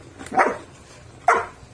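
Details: Six-month-and-19-day-old Belgian Malinois puppy 'talking' in Taguig: two short, harsh bark-like yips roughly a second apart, each fading quickly, while its handler speaks in Filipino before and after.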